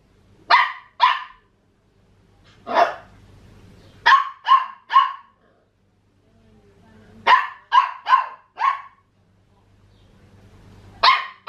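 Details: Papillon puppy Max, aged 14.5 weeks, trying to get the family Maine Coon cat Tiger to play, lets out bursts of quick high yapping barks in clusters of two to four, with a faint low hum between.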